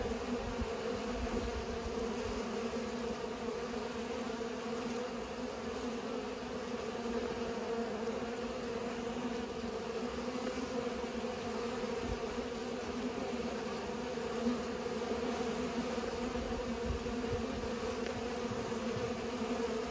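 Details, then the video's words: Steady humming of bees at work pollinating, a dense unbroken wing drone with layered tones, unchanging in loudness from start to finish. "Bees are pollinating"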